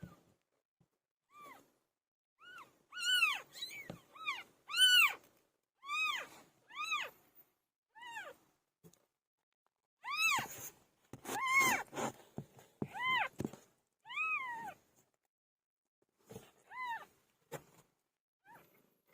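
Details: Cat Pilo during birth, calling insistently: a long run of clear, arched meows repeated roughly every half second to second, some louder and strained, with brief rustling between calls.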